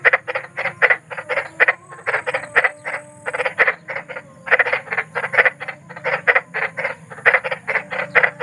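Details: Croaking of a large frog in nature, harsh buzzy notes in short bursts of three or four with brief gaps, accompanied by faint thin tones and a low humming background.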